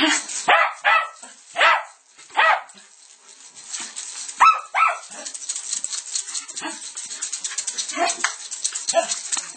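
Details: Lakeland Terrier barking while trying to get at a pair of maracas from South America; a few sharp barks early on, then rattling and shuffling noises with scattered yaps and human voices.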